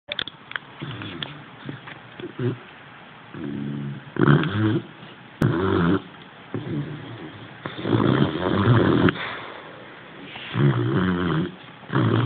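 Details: Tindrah, a sleeping Boxer puppy, snores in rough, throaty pulses with low rumbling tones, each breath swelling and fading about every one and a half to two seconds, indoors with no other sounds.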